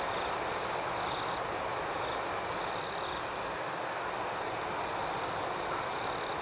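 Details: Crickets singing after dark: an even, piercing trill holds steady while a rhythmic higher chirping beats several times a second against a faint broadband hiss.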